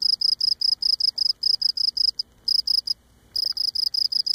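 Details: A Cape Cod cricket sings close up, rubbing its legs against its abdomen, in a steady run of short, shrill chirps repeated several times a second.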